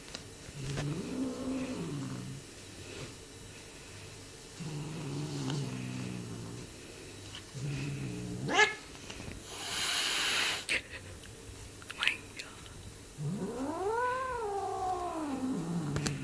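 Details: A Bengal cat munching on his owner's hand gives low, rumbling growls that swell into a drawn-out, rising-and-falling yowl.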